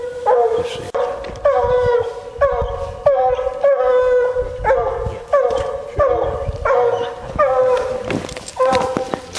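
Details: Female Bluetick Coonhound during a coon hunt, baying in a fast, steady run of choppy barks with short howling tails, roughly one every second, with faint human voices and rustling behind.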